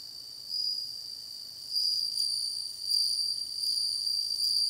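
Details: Song of a bell cricket: a continuous high, clear, bell-like ringing with a faint upper overtone. Loudness swells and eases every second or so.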